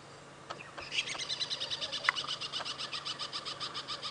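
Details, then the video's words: Tree squirrel alarm calling from a tree at something on the ground just below it during an early-morning safari drive on 5 April 2017: a rapid, steady series of sharp chattering notes, about four per second, with faint engine hum. "right now just up ahead we've got a squirrel that is alarm calling so let us leave this Horn Bill site"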